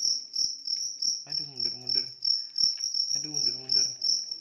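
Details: Big cricket giving fast, shrill pulsed chirps without pause, while a low human voice breaks in twice over the steady trilling.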